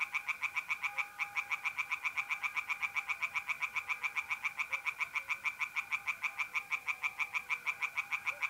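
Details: Tree frogs singing by night in a pond in north-east Italy, mid April: a fast, steady train of rasping croaks, many per second, running through the whole stretch over a continuous high trill of mole crickets.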